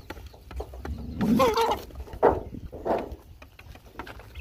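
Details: Hungry dogs being fed give a short wavering whine that rises and falls in pitch, followed by two brief breathy grunts, over steady clicking and chewing noises of feeding.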